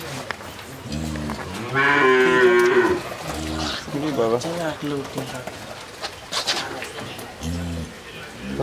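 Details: Jersey breed dairy cow in Bangladesh, second calving, with a young bull calf; deep harmonic moos repeated several times, one longer drawn-out bellow in the middle, while a man speaks Bengali in the background.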